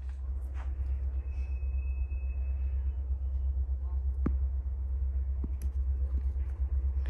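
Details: Steady low rumble like a car interior, with a faint held whistle-like tone, soft murmuring and a few sharp clicks.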